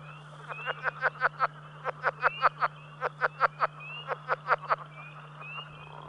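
A southern leopard frog gives rapid bursts of guttural, clucking croaks over a steady low hum.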